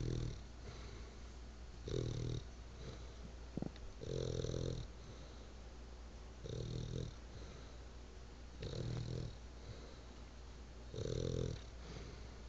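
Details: A bulldog named Church snores while asleep, drawing rhythmic wheezy rumbles roughly every two seconds, with a faint steady hum behind the breathing.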